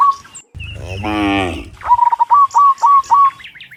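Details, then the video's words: Cows heading home from the fields to the pen in the afternoon; one rich, rising moo, followed by a run of short, evenly spaced bird chirps. "Dozens of Moo Cows Walking Home from the Fields to the Pen in the Afternoon, Sound of Cows"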